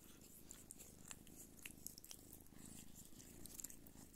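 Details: Don Sphynx mother cat Pūkė nursing her kittens indoors; a soft, low, steady purr rumbles throughout, with scattered small clicks and wet suckling noises above it.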